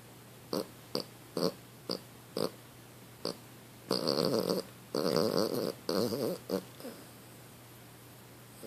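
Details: Precious, a pet dog, snoring while asleep indoors: short rasping snorts come about once a second, then give way to longer, louder, rattling breaths that run together.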